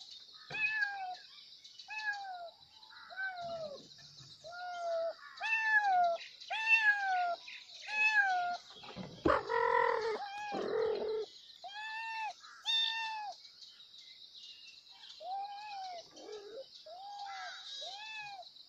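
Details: Kittens calling loudly for their mother with repeated arched mews, about one a second, overlapping at times, with a burst of rough, noisy squalling midway and a steady faint high hiss behind.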